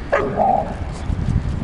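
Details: Dogs at play on a walk home from a park through Arsenal's Emirates Stadium, 22 September 2012: Flora, a playful nine-month-old female Akita, and Fox, an eight-year-old Border Collie cross. One short, sharp, mid-pitched bark, then low rumbling street noise.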